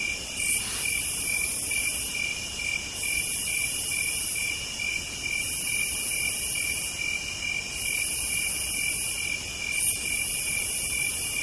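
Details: Cicadas on a southern night: a steady high drone under hissing bursts that return every two seconds or so.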